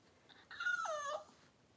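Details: During the birth of six Cavalier King Charles Spaniel puppies to Daisy, indoors: a short whining whimper, briefly level and then dropping in pitch, lasting under a second against a quiet room.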